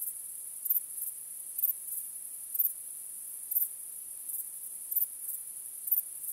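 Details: Nighttime crickets under a starry sky. A steady, shrill, high-pitched trill swells into louder pulses roughly once a second, with nothing else audible.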